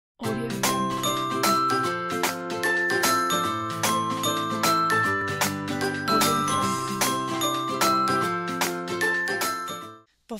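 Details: Bright glockenspiel-like music with repeated chiming mallet notes runs throughout, and no animal sounds.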